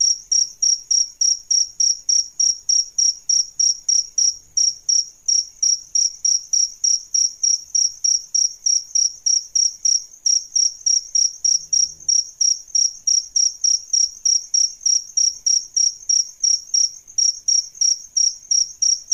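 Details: A long run of shrill chirps from adult male and female crickets, kept for songbird training. They repeat rapidly and evenly, three to four each second, with no other sounds.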